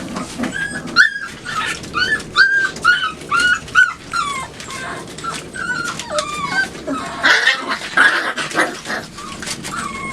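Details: Labrador Retriever puppies, five weeks and two days old, in their night kennel on 23 September 2015, exploring, chewing and claiming a newly placed box. A steady run of high, rising-falling whimpers and yips, about two per second, with scuffling underneath.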